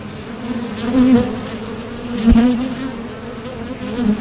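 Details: Honeybees at the entrance of a Top Bar Hive, coming and going to forage for nectar; a steady low hum with louder swells as individual bees fly past, near one second and again around two and a half seconds.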